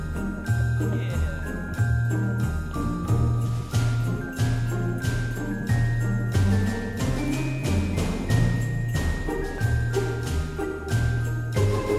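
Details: Festive Christmas music with jingling bells, chiming mallet notes and a soft pulsing bass, and no animal voices.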